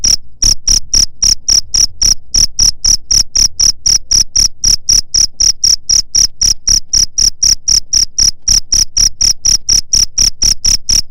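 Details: Cricket call offered as a way to chase away rats: a rapid series of shrill, evenly spaced chirps, about four per second, continuing after a short pause at the start, with faint low background noise.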